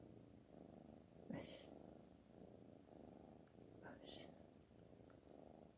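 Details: Black Panther, a house cat, purrs continuously in a low, even, buzzing rumble, overlaid by a few brief whispered words and short hissy noises.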